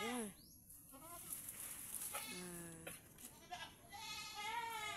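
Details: Domestic pet goats tied up on a farm in the Philippines bleat a few times; one bleat is a steady, level tone held for under a second, and the others are short and wavering, over faint background noise.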